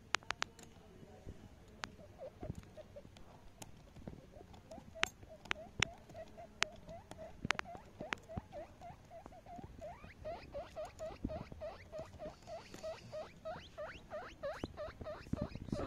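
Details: Baby guinea pig giving a run of short rising squeaks that speed up and grow louder toward the end, over scattered clicks and rustling.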